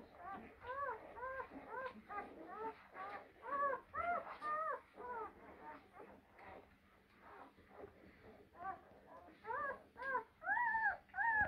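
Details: A litter of blue Great Dane puppies, born spring 2023, gives rapid bursts of short, arched whines about twice a second. The bursts are broken by quieter gaps, and the cries grow louder and higher toward the end.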